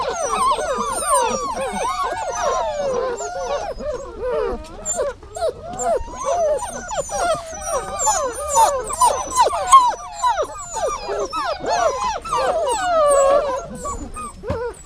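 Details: Dog whining: dense, overlapping high whines that bend up and down, rising and falling in quick wavering strokes with no pause across the whole stretch, loudness swelling and dipping.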